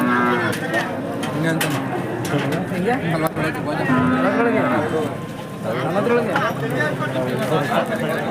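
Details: Hallikar cattle at the KG temple cattle market, 24 November 2025: a short, low, flat moo lasting under a second, partly buried under constant talking and crowd noise.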